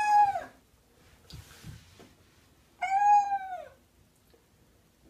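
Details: House cat being bathed in warm water gives two clear, high meows, the first clipped and the second longer and falling at the end, separated by quiet splashing and shuffling.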